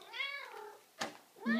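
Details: Large Maine Coon cat lying for a belly rub indoors, giving two short rising-falling meows with bright harmonics, separated by a brief click, with a man chatting to it nearby.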